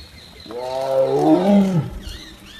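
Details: Tiger seen on a jungle safari, giving a single deep, rich roar that swells for over a second and then drops away at the end. Faint whistling birds follow in the quiet afterwards.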